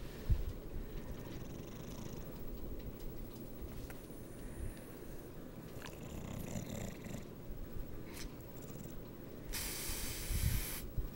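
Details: Dog named Sarge asleep upside down on the bed, snoring in a continuous deep, rattling rumble with a few sharper snorts and a brief hissy breath near the end; quiet indoor room.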